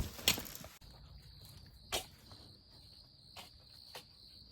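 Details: Crickets in a garden at night in late May, likened to being on the coast: a steady, high, continuous trill runs throughout, broken by a few soft thuds of footsteps on the ground.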